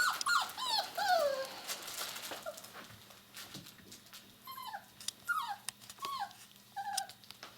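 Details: Indoors, six-week-old puppies whine and yelp: a loud burst of overlapping cries, then separate falling whimpers at irregular intervals, with faint background hum.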